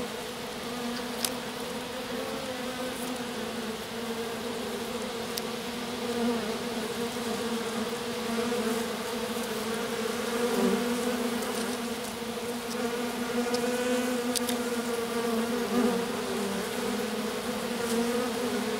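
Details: Bees from a swarm, a few loyal workers gathered on the grass around their stranded queen; continuous buzzing hum that swells and fades slightly, with scattered sharp taps over the steady drone.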